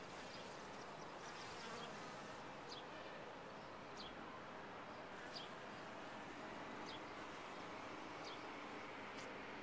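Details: Continuous droning hum of honey bees working a top-bar hive, even and unbroken throughout, with short high bird chirps dotted across the background.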